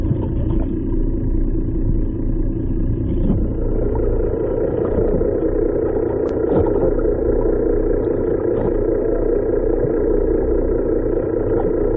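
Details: Loud, constant boat engine rumble with droning mechanical tones throughout and a single sharp click near six seconds.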